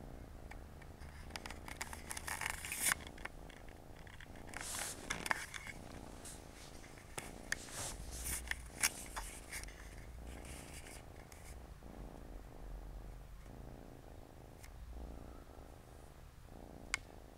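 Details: Siamese mother cat and four kittens playing together indoors on a Saturday afternoon; a continuous low rhythmic purr runs throughout, overlaid with scratchy rustling and scraping bursts from the playing kittens.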